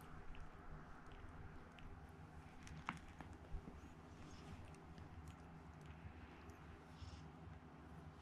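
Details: Chikuwa, a pet domestic cat rescued as a kitten and partly blind in one eye, purring indoors at home: a steady low rumble pulsing rapidly, with a few soft clicks and a sharper knock near the middle.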